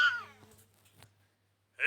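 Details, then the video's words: Domestic cat from a funny talking-cats compilation, giving a bright falling meow at the start, near silence, then another sharp meow burst at the end. "konuşan kediler"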